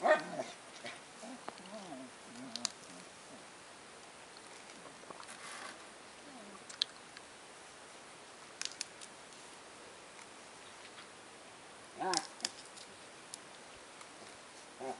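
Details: Labrador Retriever dog playing a game with a tree stump; wavering whining and low vocal sounds open the recording, followed by sparse clicks, scuffs and thuds from the play, with a brief louder burst near the end.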